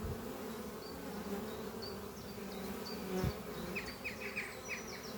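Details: Spring morning at a thriving honey bee colony in a converted French oak chest, foragers returning with pollen on their hind legs. Dense, even humming with one loud close pass, and birds chirping in repeated short bursts in the background.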